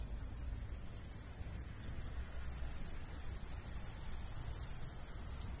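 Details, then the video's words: Crickets in the summer countryside by a golden wheat field under a light breeze; quieter high chirps repeat in a regular rhythm over soft low-frequency wind. "Countryside/cricket sounds"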